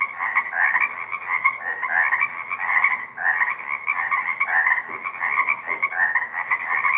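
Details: A dense frog chorus of overlapping trills and croaks, rising and falling without pause, recorded at sunset in a lakeside wetland at Deer Lake on 2 April 2024 with a shotgun microphone.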